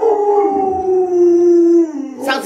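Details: Luoluo, a pet Alaskan Malamute, howls beside its owner, who is sick in bed: one long, steady, tonal howl holding almost level for nearly two seconds, then a short, breathy, broken sound at the end.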